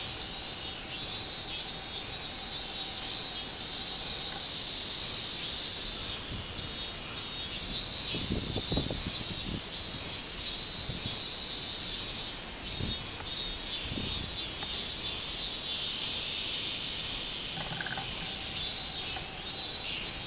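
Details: Robust cicada (minmin cicada) singing on 24 July 2016: a high, shrill, pulsing drone repeated roughly every half second, with brief pauses and faint low thumps midway.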